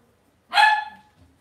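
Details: Cavalier King Charles Spaniel puppies raised indoors in a home puppy pen; one short, bright yap about half a second long, harmonic and sharp-edged, then fading into a quiet room.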